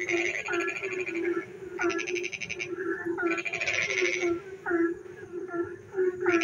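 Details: Night frog chorus in the rain: bursts of fast pulsed rattling alternate with short swooping croaks, several callers overlapping above a continuous low humming tone.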